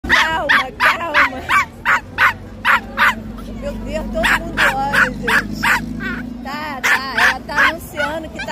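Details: Small female pinscher, stressed on a beach, barking nonstop in sharp, high yips repeated about three times a second, fairly regular, with voices and beach background noise between barks.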